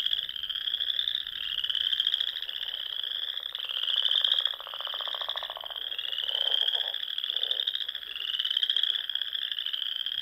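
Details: Frogs singing in spring at dusk among the small lakes and ponds of the Nebraska Sandhills dunes; a dense chorus of high trilled pulses that swell and fade in waves every two seconds or so, many callers overlapping.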